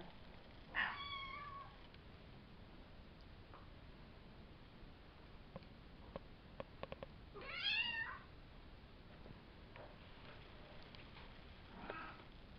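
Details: Savannah kittens from a litter of three males and two females, born April 22nd and recorded May 30th, Kendi x Gargoyle; two clear high harmonic meows about seven seconds apart, with faint ticks and soft shorter mews in between.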